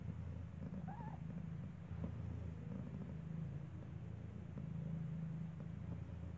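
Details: Mother cat Kartopu, nursing her newborn kitten indoors in the building where she gave birth, purrs in a deep continuous throb. Near the start there is a brief thin rising squeak, likely from the blind kitten.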